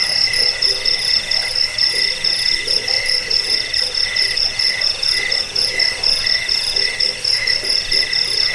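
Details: Crickets heard as a rat repellent, sleep aid and songbird tutor; continuous high-pitched shrilling with evenly spaced short chirp bursts and low intermittent pulsing calls.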